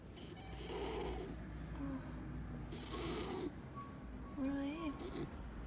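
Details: A pet raccoon makes soft, breathy churring bursts and short wavering squeaks while being petted, with a person talking quietly to him.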